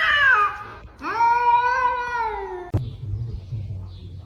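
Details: Domestic cat meowing: a short falling meow, then a longer drawn-out meow that rises slightly and slides down at the end, followed by a sharp knock and quiet room noise.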